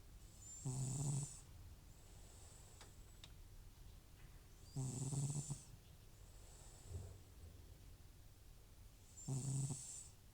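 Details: Elderly FIV-positive house cat named Butcher snoring loudly while asleep indoors, snoring worse off nasal medication; three low, rumbling harmonic snores about every four seconds, each with a hissy breath, softer breathing between.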